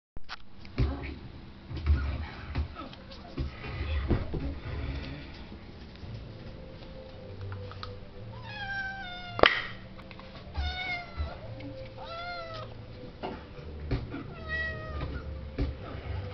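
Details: Excited female pet cat meowing repeatedly at a Kinder Surprise egg being taken out; several drawn-out, wavering meows from about eight seconds on, among indoor handling noises, rustling and low hum.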